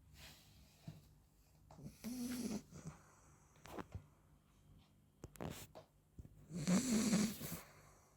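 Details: Napping 40-day-old Labrador puppy named Frankie gives uneven, breathy snores and snuffling breaths, a louder raspy snore closing the stretch, in a quiet indoor room.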